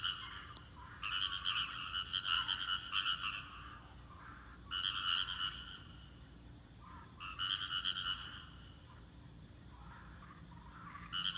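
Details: Rice paddy frogs in chorus, falling silent at a person's presence and then gradually starting again: rattling croak bouts of one to two seconds alternating with quieter gaps, a few fainter callers in the pauses.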